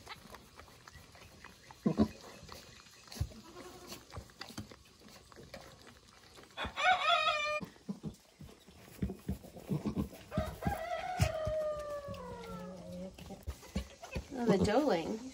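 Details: Newborn goat kids, only minutes old, just born at Hickory Hills Farm in southern Indiana; a sudden harsh bleat bursts out, then a long wavering bleat slides downward, and a short nasal cry closes, with a person talking softly and straw rustling.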